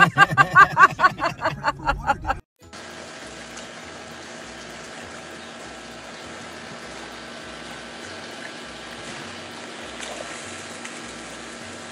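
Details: Short burst of pulsing music gives way to a steady, trickling water-like wash of noise.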